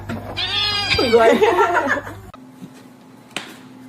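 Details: House cat letting out a strained, wavering meow lasting nearly two seconds, bright and harmonic, then fading; a low steady hum and a brief knock follow indoors.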